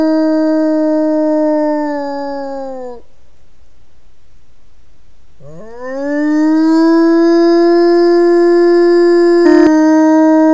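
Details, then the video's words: Wolf howls, used mainly to communicate within its family group: a level howl sags downward and breaks off near three seconds, then after a silent pause a new howl swoops upward and holds steady, with a sharp click near the end. "Wilczy zew / The call of the wolf"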